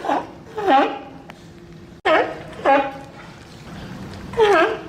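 Sea lion calls come in short, rich, bleating bursts that bend up and then down in pitch. Four or so calls arrive unevenly over a few seconds, with a faint room-like background between them.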